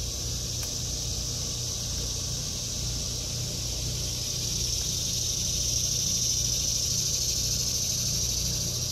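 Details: August 2023 vegetable garden with cicadas: a continuous high, hissing buzz that swells a little louder in the second half, with a faint low rumble beneath.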